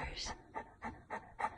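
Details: Butters the Saint Bernard protests at bedtime with four evenly spaced, rough, breathy vocal bursts. A brief human voice sound comes first, in a small quiet room.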